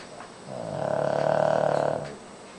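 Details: Single long, rattling snore from Koro, a Shih Tzu kept as a pet, fast-pulsed and swelling then fading over about one and a half seconds while the dog sleeps.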